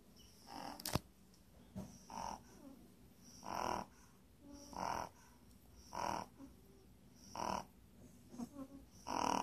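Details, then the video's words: Sleeping puppy snoring steadily: soft, raspy breaths with a faint high whistle, recurring about every one and a quarter seconds, plus one sharp click near the start. "puppy snores"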